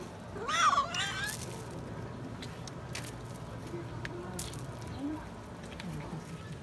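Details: Stray cat being fed gives one loud, wavering meow with strong harmonics, rising then falling, within the first second, followed by quieter background noise with faint voices and a few soft clicks.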